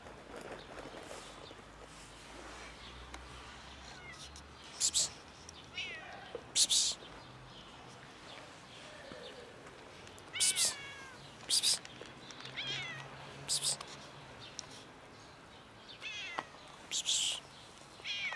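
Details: Ginger cat meowing loudly while people ignore it: short rising-falling meows repeated at irregular intervals, some strained and high, with sharp clattering bursts and faint background noise between calls.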